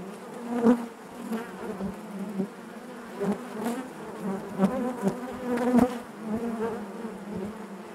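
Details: Honey bees buzzing inside their hive: a dense, steady low drone with layered hums, swelling in brief louder bursts as individual bees pass close, continuous throughout.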